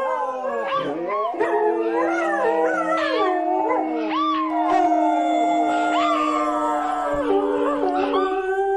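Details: Overlapping dog howls with rising and falling wails over a long steady lower note, several voices crossing each other throughout.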